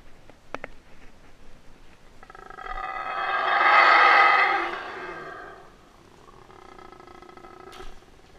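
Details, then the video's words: A male Guatemalan (Yucatan) black howler monkey in rehabilitation at Wildtracks, later released to the wild, howls up close during a feed: a deep, harmonic roaring howl that swells, peaks and fades. "Yucatan Black Howler Monkey Feed"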